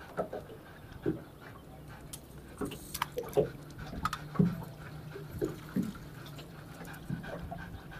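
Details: Golden Retriever panting during fishing and swimming training on a boat, working on recall, sit, wait, place and follow; breathy bursts come roughly once a second over a low steady engine hum with light splashing water.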